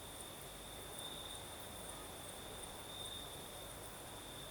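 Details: Southern Crimea after dark, crickets chirring in one constant high tone with a fainter higher layer, the night breeze a soft even hush beneath.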